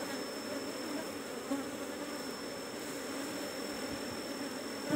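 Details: Steady hum of Apis cerana colony in a kept hive box, number 17, while honey is harvested; continuous low drone throughout, with a thin high electronic whine running underneath and a faint tap at the end.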